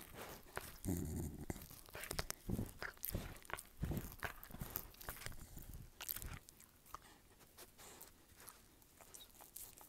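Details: Dog chewing in a room, with loud heavy crunches and low thumping bites in the first six seconds, then quieter, softer chewing.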